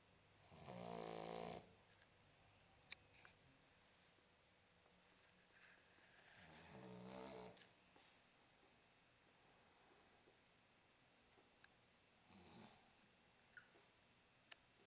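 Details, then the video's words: Boxer puppy, 10 weeks old, asleep and snoring: soft low rasping breaths roughly every five seconds, quiet recording with steady background hiss and occasional small clicks. "Max the Boxer: snoring"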